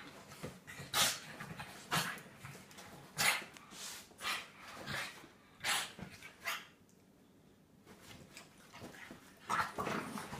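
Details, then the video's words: Staffordshire Bull Terrier at play with a French bulldog: short, sharp, noisy barks and yaps in separate bursts roughly every second, with quiet gaps between and a brief lull near the end. "Staffordshire Bull terrier play"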